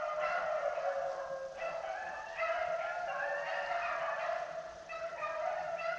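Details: A pack of beagles running rabbits around a pond gives overlapping, ringing barks and bays in a steady, continuous chorus. It is their first run of the year, done to get them in shape, and an old dog lags behind.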